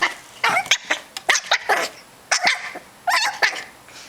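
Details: Rat terrier puppy named May playing with Ginger: bursts of high, rough yips and snarly play barks in quick clusters, separated by short silences.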